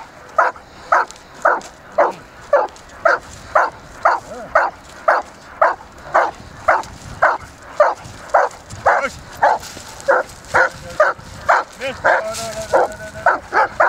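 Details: An Irish Setter at play in a winter river gives a long run of rapid, regular barks, close to two per second, staying bright and mid-pitched throughout, with a brief burst of splashing or rustling near the end.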